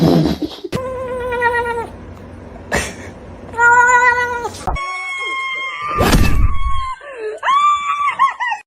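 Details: Cat meowing, a kitten crying: long steady harmonic meows, one at the start and another midway, then a sustained wavering cry and a final rising-falling meow, with thumps and clatter between calls.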